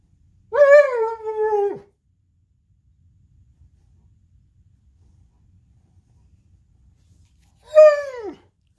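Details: Gunner, an intact male purebred Alaskan Malamute playing in bed in the morning, gives two tuneful, wavering howls and cries, the second shorter and dropping at the end.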